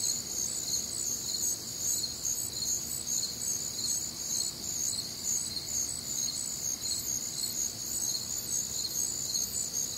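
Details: Crickets and other nocturnal insects on a warm, humid Midwestern summer night: a dense high chorus of overlapping pulsed chirps in several pitch bands, steady and continuous throughout, with no other clear sounds.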